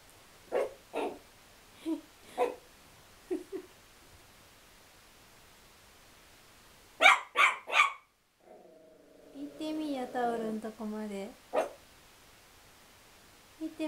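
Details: Chihuahua barking angrily at a towel: scattered single barks, a tight burst of three, then a drawn-out wavering growl-like whine, with human speech heard over the recording.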